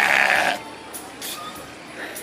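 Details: A sheep in northern Spain gives a short, rough, throaty bleat resembling an old man burping, followed by people talking softly in Spanish.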